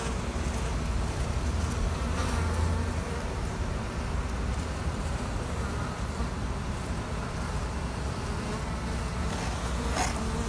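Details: Honey bees of a queenless colony being used for queen rearing, giving a dense, steady hum with low droning bands and a rough, crackly texture that holds at an even level throughout, with a few faint sharp clicks.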